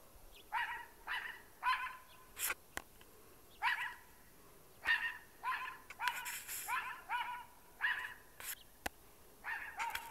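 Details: Domestic dog barking at a trash bag it mistook for an intruder: a rapid, uneven series of about fifteen loud harmonic barks over ten seconds, with a few sharp clicks between them.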